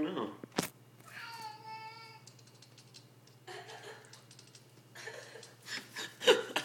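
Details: A kitten making weird noises gives one steady, tonal meow lasting under a second, followed by tapping and clicking and brief human voices.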